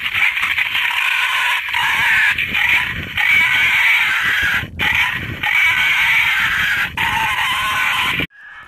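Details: Hunter's lure recording of wild boar, said to bring boar to bait: loud, strained squeals in long runs separated by short pauses, ending abruptly in silence.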